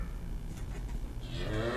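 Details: A cow gives a deep, droning moo beginning after a second of low rumble, swelling into a steady tone with a slight rise at the end.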